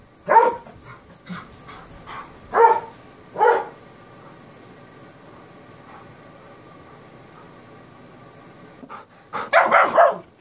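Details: Kerry Blue Terrier puppy and Airedale Terrier in play. A few sharp barks open, then a long near-silent stretch follows before a dense closing burst of overlapping yaps and growls.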